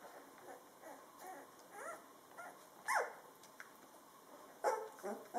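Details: Drentsche Patrijshond litter at two weeks old, taking first wobbly steps; faint, thin whimpers and squeaks come in brief bursts, with one sharper sliding squeal midway and a couple more near the end over steady room noise.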